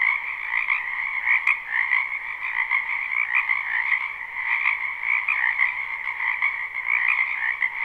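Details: Spring wetland frog chorus recorded live behind a home: many frogs croak at once in a thick, unbroken wall of high trilling pulses, with a faint click near the start.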